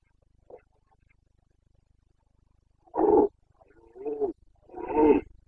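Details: Boncănit of a Carpathian red deer stag, the rutting roar of the breeding season in Bucovina's mountain forests, 29 September 2022: a faint grunt, then three loud, coarse bellows in quick succession, the last longest and richest.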